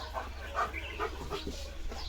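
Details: Leo, a German Shepherd village guard dog, gives a few short, rough barks spaced roughly half a second apart, with faint bird chirps in the background.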